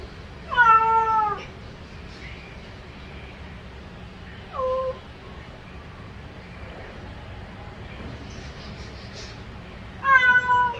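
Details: Domestic cat meowing to call its owner: three meows, a long bending one near the start, a shorter one around four and a half seconds, and a final one at ten seconds, over a low steady background hum.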